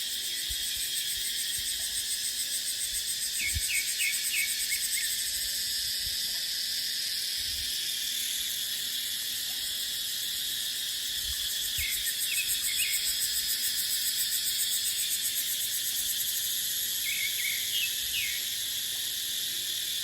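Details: Cicadas in dry dipterocarp forest during the dry season in Thailand, a dense steady shrill drone filling the high range throughout, with short chirping notes repeated in small clusters and soft wind underneath.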